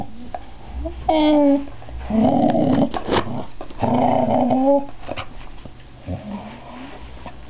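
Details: A female pet dog, tail wagging, gives short rising whines and drawn-out moaning grumbles in bursts of about a second, separated by pauses, while a person talks and laughs nearby.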